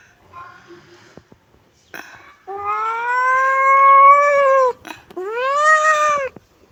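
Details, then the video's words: Kitten meowing: faint short sounds, then a long, loud, steady meow slowly rising in pitch, followed by a shorter arched meow. "kitten meowing"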